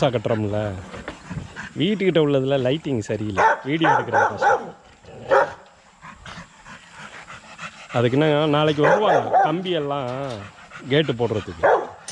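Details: Kennel exercise yard with young Rottweilers giving loud wavering howl-like cries in two bursts, each several seconds long with quavering rises and falls, separated by a quieter gap of scuffling and faint sounds.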